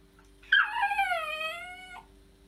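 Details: Maggie, a female West Highland White Terrier kept as a pet in Germany, gives one drawn-out whine of about one and a half seconds. It starts high, slides down, then holds a steady tone before stopping abruptly. The room is otherwise quiet.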